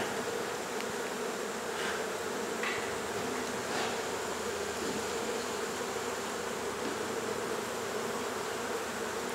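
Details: Honey bees from a hive in a second-story wall of a home in Mission, Texas, disturbed during hive removal and relocation: a dense, unbroken buzzing hum with a steady drone, plus a few faint knocks.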